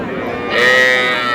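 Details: Small calf at a cattle market in Madaripur, Bangladesh, on 18 April, among young bulls and heifer calves being bought by a farmer. One steady, drawn-out moo swells in halfway through, over bargaining voices.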